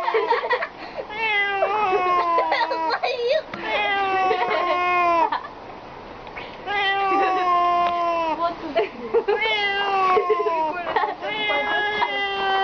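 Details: Domestic cat in an indoor home setting, giving long, drawn-out wavering yowls with strong harmonics, falling slightly at each end, in repeated bouts separated by a brief pause near the middle, with a person's voice nearby.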